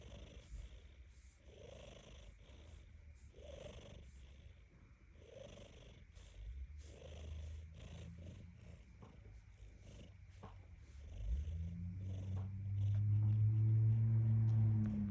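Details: Low, continuous rumbling from a pet cat, either purring or snoring, pulsing in breath-like cycles; in the last few seconds a louder, steady tonal hum with clear overtones rises over it.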